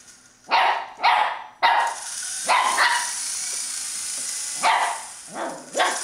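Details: Playful Shih Tzu puppy barking at an RC helicopter: about seven sharp, bright yaps in uneven bursts, three in quick succession, then a gap and more, against the constant high whine of the toy's rotor.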